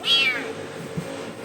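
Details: A cat making noise all night and keeping someone awake: a single short, high, slightly falling meow at the start, followed by quiet indoor background with a faint thump.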